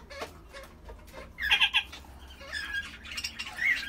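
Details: Kakariki uttering a quick cluster of bright, chattering chirps midway, then softer squeaky notes and a final short whistled call over faint rustling and low hum.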